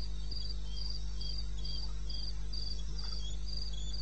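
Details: Wild cricket in the wilderness of eastern Botswana, recorded at 2:30 am on 21 May. It gives short, high, buzzy pulses about twice a second, evenly spaced, over a steady low background hum.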